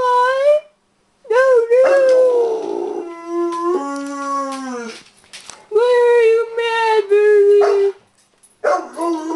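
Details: Bernese Mountain Dog upset about the mail lady, howling in long tonal wails that rise, hold and slide down, broken by short pauses and a brief silence, with rich stacked overtones.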